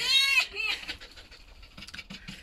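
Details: Vasilisa, a pet red fox, greeting her keeper on an ordinary morning when breakfast is brought: a short, high, harmonic whine rising and wavering for under half a second, then quieter rustling and faint soft sounds.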